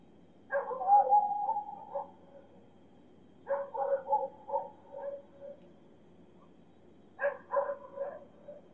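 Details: Dogs howling and barking far away in the city at night: three distant bursts of overlapping, wavering howls and yelps, each lasting one to two seconds, separated by quiet gaps.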